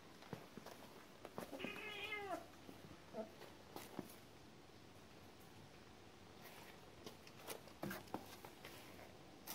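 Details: A cat gives a short wavering meow with rising and falling harmonics near two seconds, followed by faint fainter chirps, amid clicks and knocks in a small room.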